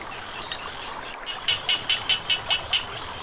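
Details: Frog calling near flowing water, giving a run of seven short, evenly spaced bright clicks about every fifth of a second, over a steady hiss of running water and faint insect chirring.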